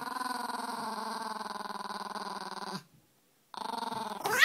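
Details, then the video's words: Small 5-lb Peka-Pom dog, annoyed by another dog named Larry. A steady, throbbing growl pulses rapidly for nearly three seconds, breaks off into silence, then starts again and ends in a sharp rising yip. "Peka-Poms growling"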